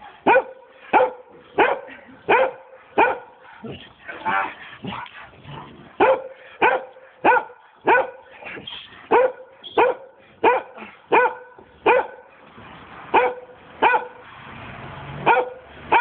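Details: Giant Schnauzer named Vito barking while playing, a steady run of sharp, ringing barks about every 0.7 seconds, fairly even in loudness, with a brief burst of rougher noise near the end.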